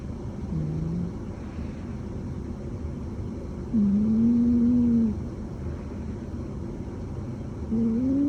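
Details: Sol, a mixed-breed former stray cat rescued soon after birth and now about four years old, snoring while deeply asleep at home; soft low whistling nasal tones, three short level-to-rising snores spread across eight seconds over a faint steady hum.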